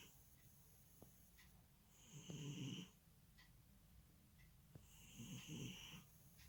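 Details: A domestic cat snores in its sleep, two drawn-out, husky low breaths about three seconds apart, each carrying a soft high nasal whistle, against quiet indoor background with a few faint clicks.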